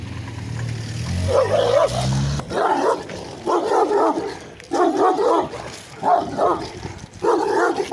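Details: Barkhan, a Turkmen Alabai (Central Asian Shepherd Dog), gives a series of deep, loud barks, about six in all, spaced roughly a second apart, after a brief low rumble at the start.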